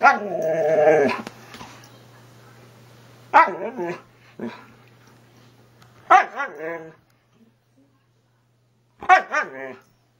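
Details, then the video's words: Siberian husky 'talking' with its owner indoors: a long harmonic yowl, then three shorter wavering, rising-and-falling 'talking' bursts spaced a few seconds apart, over a low steady hum. The owner asks what it wants. "Talking Huskies"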